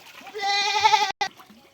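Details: Goat being treated for lice at home, giving one loud, wavering, nasal bleat of under a second, rich in harmonics, followed by a short knock and a faint voice.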